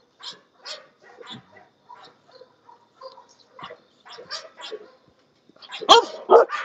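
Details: English Bulldog from a kennel of guard and working dogs, barking in an uneven string: soft, spaced woofs at first, then quieter yips, then a sudden pair of loud, harsh barks at the end.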